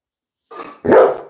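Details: Labrador Retriever named Coco, filmed at home during a live stream, gives a short soft whine-like onset followed by one loud, harsh bark.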